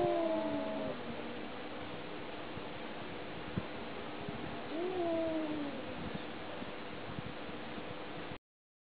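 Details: Domestic cat communicating with two faint, short meows, one at the start and another midway, heard through heavy steady background hiss and hum.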